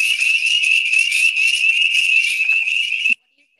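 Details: Spring peeper, a very small frog that comes out very early in spring, calling to attract mates, loud enough to be heard from a car with windows up; a dense, shrill, high ringing peeping chorus that holds steady, then stops abruptly.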